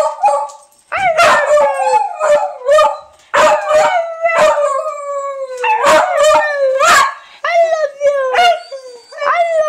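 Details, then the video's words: Pet dog Honey, prompted to say "I love you", answers with a string of wavering howls and yodel-like yowls, some breaking into sharp clipped notes, alongside people's coaxing voices. "Honey says I Love You"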